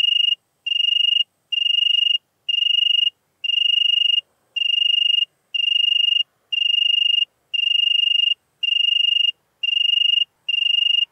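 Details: Song of a European tree cricket from Venezia, Italy, 2 September 2021: steady musical trills repeated about once per second, each burst roughly half a second long, evenly spaced, over a silent background.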